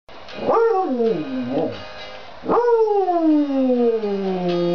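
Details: A beagle that loved singing along to music howls with it, its long wavering notes swooping up, then sliding slowly down.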